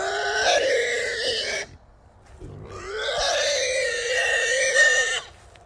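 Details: Small wild boars caught in a small trap, three hogs taken together; two long, loud, steady squeals, each nearly two seconds, separated by a short pause.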